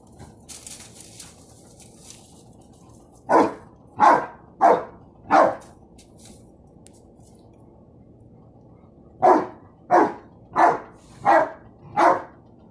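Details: Pet dog barking at a balloon indoors: two bursts of sharp barks, four barks in quick succession, a pause of about four seconds, then five more evenly spaced, roughly every half second, over a low steady room hum.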